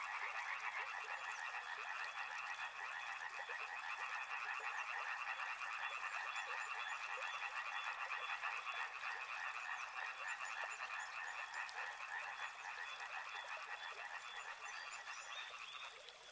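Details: Many frogs near a river calling together, a continuous buzzing mass of quick, overlapping croaks that holds steady throughout, with a thin, high pulsing sound at the start and again near the end.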